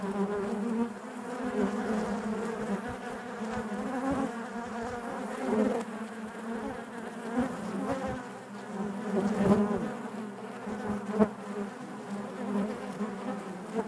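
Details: Honey bees humming inside their hive, a dense steady drone centred low with stacked harmonics, swelling and easing in loudness, with brief sharper clicks and knocks from bees moving close by.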